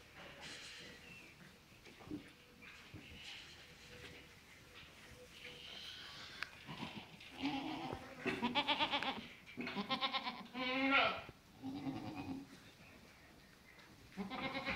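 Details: Goats on a farm, quiet at first, then a run of loud, strongly quavering bleats that overlap and follow one another for several seconds, with one more bleat at the end, over light background noise.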